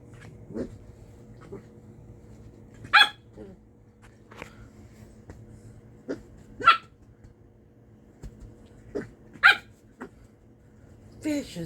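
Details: A corgi puppy gives short, sharp, high yapping barks spaced a few seconds apart, apparently at a purple hairbrush it dislikes; corgi.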